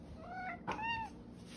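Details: The OK Cat, a domestic cat known for meows that sound like "okay", answers a person's question indoors: a short vocal lead-in, a brief click, then one smooth, arched, tonal meow that rises slightly and falls away, heard faintly over room hum.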